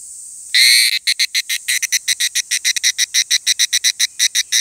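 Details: Evening cicada (higurashi) singing at 17:42 on Monday 23 July 2018 in Takahashi City, Japan: one loud opening burst, then rapid, evenly repeated ringing pulses, about five per second, bright and metallic, with little else audible.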